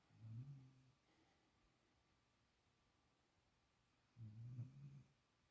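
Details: A spoiled puppy sleeping in another dog's usual spot for the first time, snoring indoors: two low, rumbling snore bursts about four seconds apart, each lasting close to a second, quiet in between.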